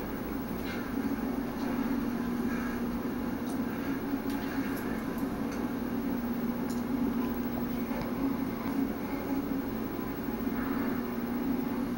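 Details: Steady low rumbling noise with faint indistinct voices, no animal voice heard.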